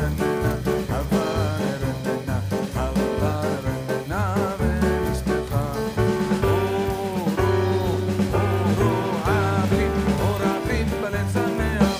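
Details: Upbeat swing-style music with guitar, steady bass and singing plays throughout, and no animal voices are heard.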